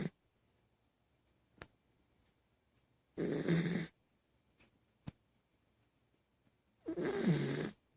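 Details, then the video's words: A dog snoring indoors: two rough, breathy snores about four seconds apart, each lasting under a second, with faint clicks and a quiet room between them. "Snoring dog"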